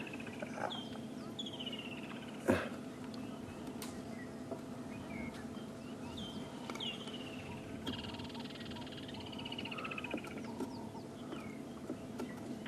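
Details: Dwarf mongooses in Africa give high, chirping alarm calls, sweeping notes repeated by several animals, while wild dogs move nearby hunting toward impala and nyala.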